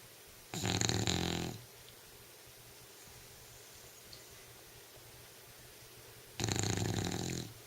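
An English Bulldog snores in loud, rasping bursts separated by quiet pauses.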